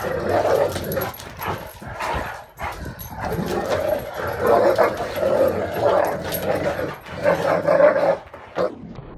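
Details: Great Dane male guarding his bed against two sister dogs, giving continuous throaty growling and grumbling, rising into louder moaning barks in bursts every second or two, with brief quiet breaks.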